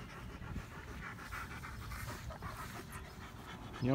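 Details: Odin, a German Shepherd, pants while wanting to play: a steady, soft, breathy rasp of rapid breaths, low and quiet throughout, ending in a sudden louder knock.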